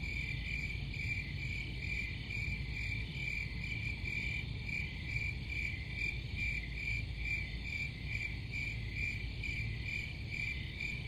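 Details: Crickets keep up a bright, pulsing chirp roughly twice a second over a steady high drone, with a low rumbling noise floor.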